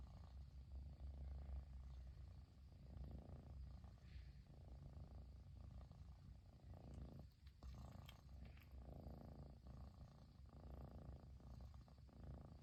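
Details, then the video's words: Persian kitten purring nonstop after its owner finally came home: a steady, deep rumbling purr with soft rhythmic pulses throughout, quiet indoor background. "飼い主がやっと帰ってきてぐる音が止まらない子猫🐱purling kitty"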